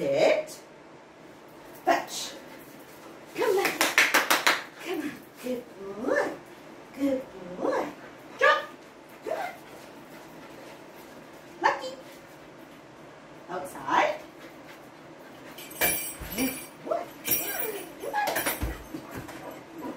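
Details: Lucky, a Labrador Retriever puppy, gives short yelping barks and whiny yips in scattered bursts, some in quick clusters, while a person talks over much of the recording.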